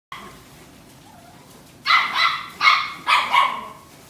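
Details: Female Yorkshire Terrier with a steel blue and tan coat, born in December 2017, gives four sharp, high barks in a quick, slightly uneven run after a quiet start.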